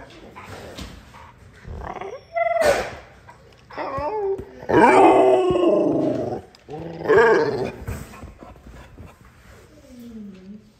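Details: Female XL American Bully puppy indoors, asking permission to play with her favourite toy, makes drawn-out whining, grumbling vocalizations that bend up and down in pitch, in several bursts. A soft, falling whimper ends it, with a person speaking gently nearby.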